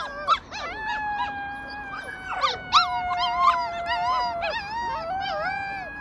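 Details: A small group of rescued wolf pups in a howling bout, long steady tones held while sharp rising and falling yelps break in, and several voices overlap.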